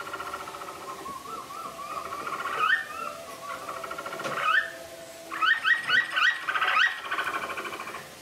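A male capybara gives a wavering, whistle-like whine, then a quick run of sharp, rising squeals, several a second, near the end.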